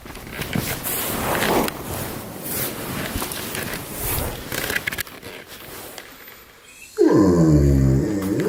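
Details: A German Shepherd makes low, rough, purr-like rumbling with scratchy rustling around it, ending in a clear, drawn-out moaning grumble that wavers slightly and sinks in pitch.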